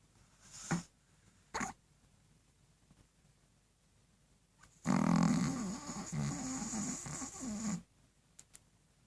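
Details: A dog snores loudly indoors: after a few soft snuffles, one long, rough, noisy breath rumbles for about three seconds, followed by faint clicks.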